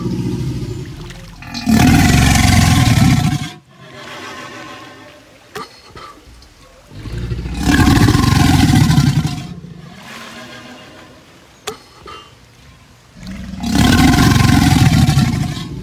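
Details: Three long, harsh, low-pitched crocodile growls, each roughly two seconds of dense rumbling roar, separated by quieter stretches of faint grating sound and a few sharp knocks.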